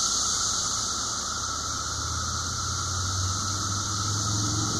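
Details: Brood V periodical 17-year cicadas in a cemetery in Washington, southwest Pennsylvania, 30 May 2016 around 12:34 pm, fill the air with a steady, droning chorus holding a constant pitch without pause.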